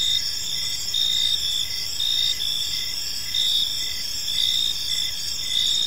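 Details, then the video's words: Park crickets in the evening, a tranquil high-pitched chorus of pulsed trills repeating close to once a second above an unbroken ringing drone and quiet low background rumble. "Park Serenade: Cricket Sounds in a Peaceful Park | Evening Ambience"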